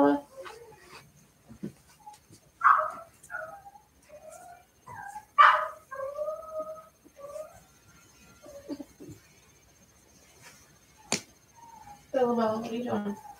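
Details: Cavalier King Charles Spaniel puppies from a freshly whelped litter born in the early morning of April 2nd, in an indoor puppy pen, learning to interact: short high squeaks and thin whines scattered throughout, with a woman talking softly nearby.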